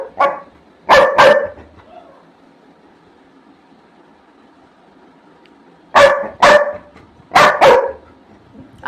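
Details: Barfi the Labrador Retriever, a mischievous house dog impatient for food left to cool, barks in bursts: a quick double bark, a long pause, then a run of four forceful barks in pairs.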